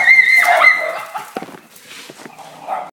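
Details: Corgi (Canis lupus familiaris), whine: wanting to go outside.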